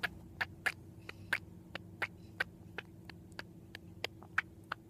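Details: Female house cat making her unusual squirrel-'talking' noise, perhaps while dreaming: bright clicking chatters, some doubled, spaced irregularly a few per second, against a quiet steady background hum.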